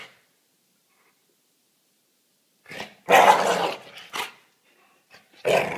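A Staffordshire bull terrier growls harshly, then gives loud, rough barks.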